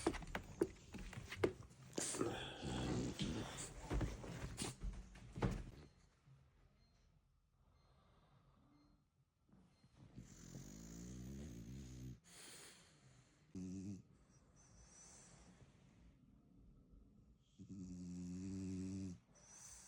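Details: French Bulldog puppy that has just fallen asleep. A person coaxes "come on" at first, then after a quiet stretch come short, rasping nasal snores in separate bursts.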